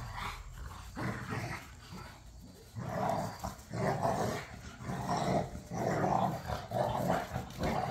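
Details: Pit bulls and a Malinois at play in a back yard, tugging on toys: rough, rasping growls and snarls in uneven bursts about once a second, louder toward the end, with occasional gruff barks.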